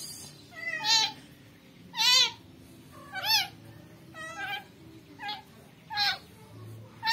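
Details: Rescued newborn kitten, earlier infested with maggots, crying in a steady series of six piercing, wavering meows about once per second, some strained and quavering, in a small indoor space.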